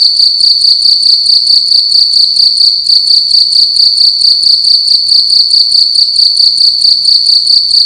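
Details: Indoors at night, a single cricket chirps loudly in a room, its shrill pulsed note repeating roughly twice a second in an even, unbroken rhythm with nothing else audible.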